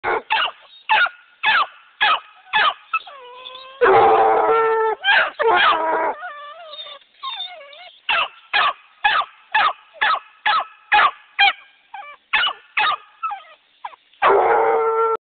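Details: Two Black and Tan Coonhound puppies bark in quick, repeated yaps, with longer whining howls mixed in.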